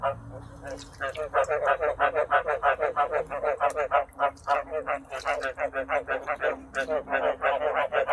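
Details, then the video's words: Caged frogs, still unbred for lack of water, croak in a dense, fast chorus of about three pulses per second after a brief quieter start, with slight irregular overlap between callers. "កង្កែបយំពេញទ្រុងហើយមិនទាន់បានបង្កាត់ ព្រោះខ្វះទឹក"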